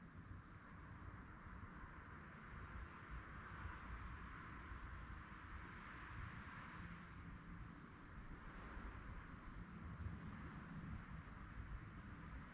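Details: A chorus of crickets at night keeps up a thin, high, evenly pulsed trill without pause, laid over heavy low droning noise that swells slightly midway.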